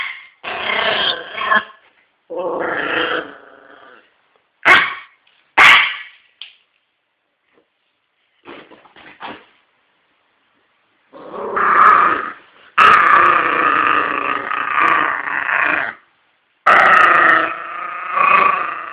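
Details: Yorkshire Terrier mixing short yips and barks with long, rough, rasping growls that come in bursts of one to three seconds, louder and more sustained toward the end.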